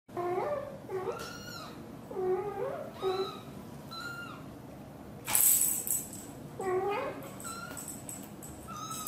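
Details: British Shorthair mother cat, blue golden, talking to her tiny kitten while hugging it; a series of short rising-falling meows and chirps, several in quick succession, with a brief rustling burst midway.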